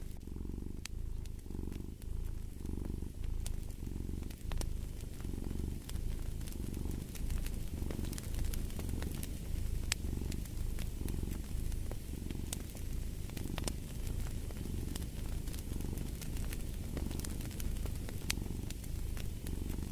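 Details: Domestic cat purring in front of a fireplace: a low vibrating rumble pulsing evenly with each breath, roughly every 1.3 seconds, while the fire crackles and pops steadily throughout.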